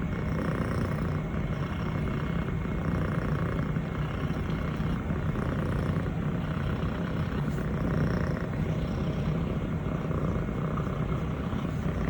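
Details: Female Scottish Fold kitten Elle, 180 days old, brown tabby and white longhair, enjoying being petted by her owner. Her deep, even purr rumbles without pause for the whole stretch, with a thin constant electrical tone above it.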